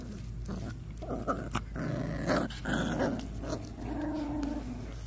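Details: An eight-week-old Patterdale Terrier puppy eats raw food for the first time, growling in a steady low rumble that swells in the middle, mixed with smacking and chewing sounds in a small room.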